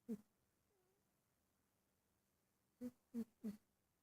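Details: Sleeping pet cat indoors snoring softly: a short breathy sound at the start, then after a long quiet gap three quick puffs about a third of a second apart; a voice says "Hey, sleepyhead" afterwards.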